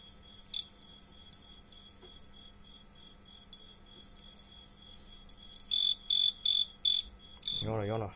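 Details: Fighting crickets: a faint steady tone for several seconds, then four loud chirps in quick succession and one more, followed by a rasping, wavering noise at the end.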